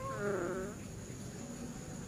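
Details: A pet cat named Honey gives one short meow. It starts high, slides down into a lower harmonic tone and lasts under a second. A steady high electrical whine and quiet indoor room noise continue afterward.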